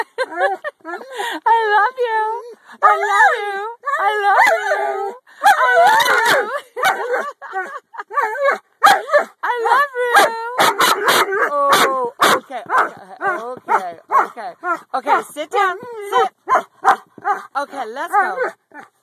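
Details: Talking dog producing a long series of rising and falling yodel-like moans and whines, nearly continuous over many seconds, mixed with sharp clicks and a person speaking close by.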